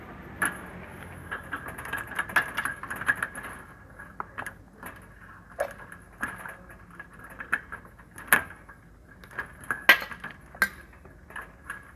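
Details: Scattered clicks, taps and light clattering over a quiet background, with no animal voice heard.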